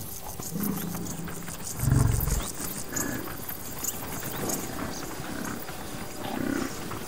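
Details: Deep, rumbling grunts of wild buffalo on the savannah, with one loud low bellow standing out over a steady background hiss.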